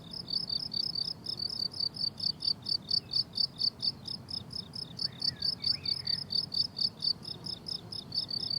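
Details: High, ringing cricket chirps on a flowering summer meadow repeat in quick regular pulses, with a couple of soft, distant bird whistles midway through.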